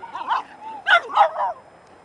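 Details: Four-month-old Dobermann puppy at a puppy play group on 23 October, giving a few high, yelping barks in quick bursts with a soft whine between them, the close barks loudest near the end.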